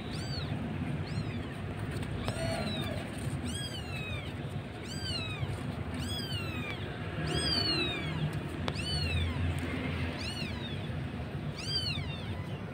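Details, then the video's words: Kitten calling its mother in a thin voice, in Jakarta; a series of about a dozen high, thin mews, each sliding downward in pitch, coming roughly once a second over a steady low traffic-like rumble. "Bayi kucing lucu manggil induk kucing dg suaranya yang tipis."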